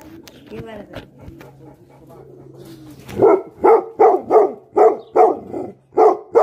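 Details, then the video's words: After a few quiet seconds of faint tonal background sounds, an angry Tibetan Mastiff (Bhote Kukur) breaks into seven loud, deep, evenly spaced barks roughly every half second. "Angry dogs barking effect sound ||Tibetan Mastiff || Bhote Kukur"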